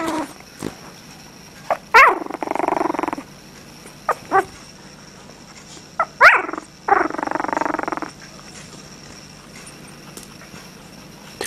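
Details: Affectionate female Japanese Chin pup purring. Two buzzy, vibrating grumbles of about a second each, separated by short sharp squeaks and clicks, in a quiet indoor setting.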